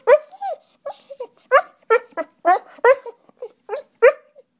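A German Shorthaired Pointer gives a run of brief, tuneful yowls and whines, each bending up and down in pitch. The bursts come in quick succession with short gaps between them, like a dog's playful singing.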